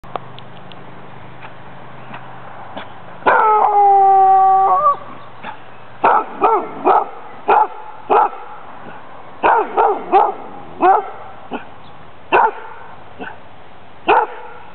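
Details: Friendly, playful female dog with a strong hunting drive during a Danish Kennel Club temperament test on April 14th 2007, giving a long steady howl-like cry then a run of sharp barks, irregular, a few per second.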